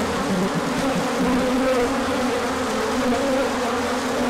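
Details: Bees out in numbers on an orientation flight as sun returns after cold, March 2024; a busy buzzing drone with individual insects zipping past, short pitch swoops rising over the constant hum.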